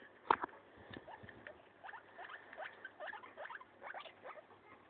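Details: Guinea pig named Maso eating a leaf, one sharp loud snap at the start followed by clusters of quick, clicky rising crunches in irregular bursts.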